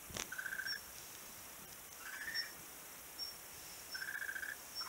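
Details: A beach frog heard on 11 March 2017 repeats a drawn-out, slightly rising whistled note three times, about every one and a half seconds, against soft high-pitched hiss.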